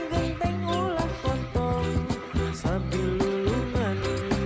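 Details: A bouncy tune plays with plucked, bell-like notes and a steady beat, and no animal is heard.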